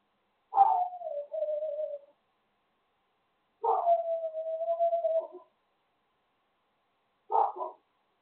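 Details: Dog during a training session giving three drawn-out, steady whining howls, each about one to one and a half seconds, the last one short and clipped, with silence between them.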